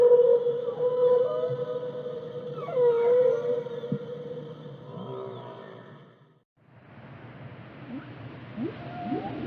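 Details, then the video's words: Whale singing: a long steady tonal moan near one pitch with overtones and brief wavering bends for six seconds, a short silence, then softer hissing sea noise with faint rising chirps. "the sound of a whale"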